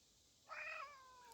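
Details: A domestic cat outdoors by woods outside a house gives a single clear, strained meow that swells quickly and then trails off; it sounded distressed, but the cat was not actually in trouble.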